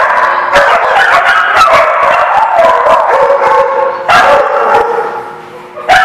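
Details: A dense din of many dogs barking and yipping together, continuous and overlapping, with a few louder sudden barks breaking through near the middle and the end.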